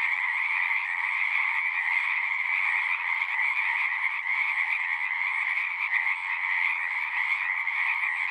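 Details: Pond frogs in a horse pasture calling together, a thick, even wall of high trilled notes over a softer lower tone, constant in loudness from start to finish.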